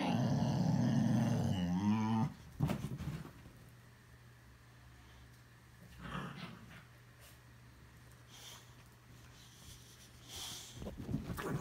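A Boxer gives a low, rumbling, moan-like growl for about two seconds, its pitch wavering and climbing at the end. Afterwards only a faint indoor hum and a few soft knocks remain.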